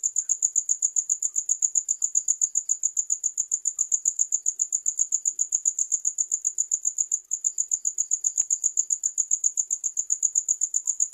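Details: Continuous cricket chirping, shrill and high, pulsing at a somewhat uneven pace of roughly two to four beats per second, with a brief dip in loudness partway through and nothing else clearly heard.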